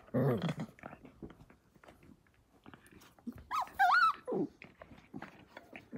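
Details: Australian Cattle Dog puppies, blue heelers born May 5, 2020, playing together in a pen; short low growls and a rising whiny yelp amid scuffling, with a woman's voice faintly nearby.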